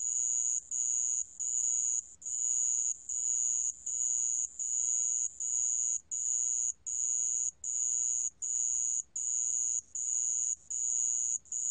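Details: A sand cricket from a 2020 National Institute of Biological Resources recording keeps up a shrill, ringing trill cut into fairly even bursts of about a second, with short silent gaps between them.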